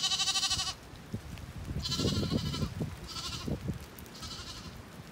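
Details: A Zwartbles lamb in a rainy orchard in County Kilkenny, Ireland, searching for its mother and then finding her; one clear harmonic bleat at the start, then fainter bleats amid rain dripping through foliage.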